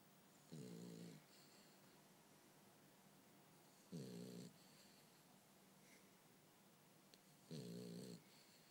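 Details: French Bulldog named Bumble B asleep indoors, snoring in three short rough rumbles about every three and a half seconds, each with a buzzy low tone and hissing breath above, quiet room between breaths.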